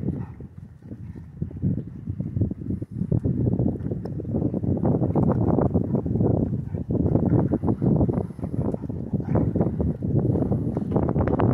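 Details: Rottweiler named Mugsy at a dog park in a gentle play fight with another large dog: low, rough, continuous growling with rapid pulsing bursts and scuffling, building in intensity toward the end.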